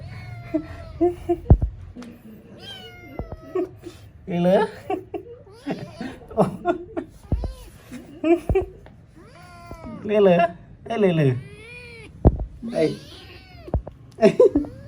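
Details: Little kitten at play mewing again and again, brief wavering meows rising and falling at irregular intervals, mixed with lively human chatter and occasional laughter in a small room.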